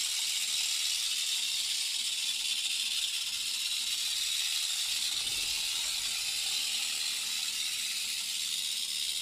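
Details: Crotalus basiliscus, the Central American rattlesnake, shaking its rattle in a terrarium enclosure: a constant, level, hiss-like high buzz running the whole length without pause.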